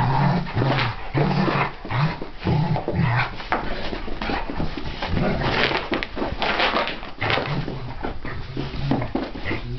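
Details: Two dogs wrestle in play: Chilli, a 1.5-year-old Springer Spaniel, and Merlin, a 6-year-old English Sheepdog. Low rumbling growls come in short bursts, early and again later, over constant scuffling, thumping and rustling.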